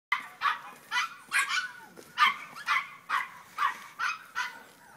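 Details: French Bulldog puppy giving a run of short, sharp, high yips and barks, about ten in five seconds, with faint background noise.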